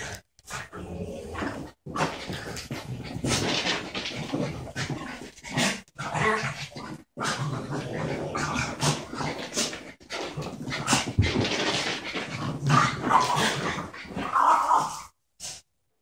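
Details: A 12-month-old border terrier and a French bulldog of about four playing; long stretch of continuous rough growling and snarling, rising in intensity near the end before stopping.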